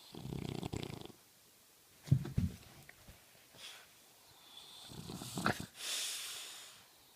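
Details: A French Bulldog asleep and snoring loudly: rough, low rattling snores in separate bursts a few seconds apart, with a hissing breath between them.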